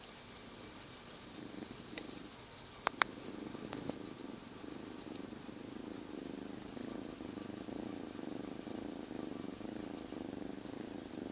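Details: Kitten rescued three days earlier from living outside, purring constantly within a jacket; soft rumbling purr that grows stronger after a few sharp clicks and rustles around the third second.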